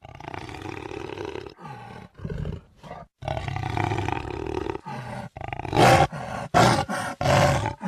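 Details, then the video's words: Jaguar, recorded 2013, giving a run of grating roars: long rasping phrases first, then shorter, louder, explosive bursts repeated roughly every half second toward the end. "Jaguar sound"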